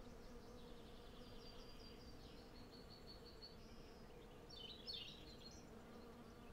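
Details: Low, constant droning of hundreds of western honey bees collecting at a blooming cherry tree, taken with a Zoom F6 and Sennheiser MKH 8040, with faint bird notes and one brief chirping burst near five seconds.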